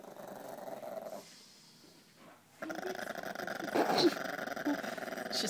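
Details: Female Chihuahua growling indoors, behaving submissive and aggressive at once while a person tries to take something from her; rough grumbling growl starting after a short quiet gap, rising louder toward the end, with a woman speaking softly.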